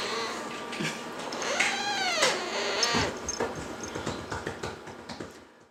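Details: Seventeen-week-old captive serval uttering a clear rising-then-falling harmonic cry, followed by softer short yips and shuffling noises indoors.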